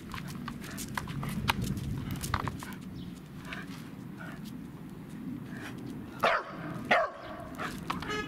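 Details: Welsh Corgi excited by cats, recorded 12 April 2016; after a stretch of rumbling background noise and clicks, two short, sharp barks ring out less than a second apart near the end.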